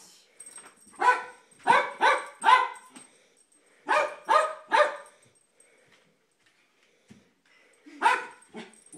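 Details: Jack Russell terrier barking repeatedly at kids playing with light saber swords: loud, sharp harmonic barks in bursts of two or three, with pauses between volleys and a faint high electronic hum.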